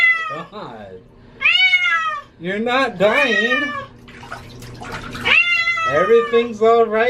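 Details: Domestic cat meowing loudly while being bathed, as she hates water; drawn-out, wavering meows, some rising then falling, mixed with a person's soothing speech and a steady low hum indoors.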